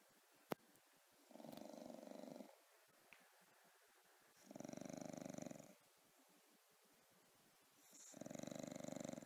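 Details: A sleeping bulldog snoring: three long, rasping, pulsed breaths about three seconds apart, each lasting roughly a second, with quiet gaps between them and a single sharp click near the start.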